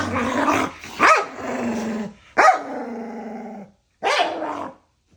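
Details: A pair of dogs in a daily playful squabble, nose-to-nose with love bites: sharp yelping barks each trail into a long moaning, growly whine, repeated about three times with brief silences between.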